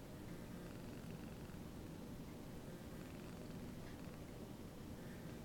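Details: Contented house cat purring as a companion cat licks and grooms its coat, giving a continuous quiet low-pitched rumbling drone with faint background hiss.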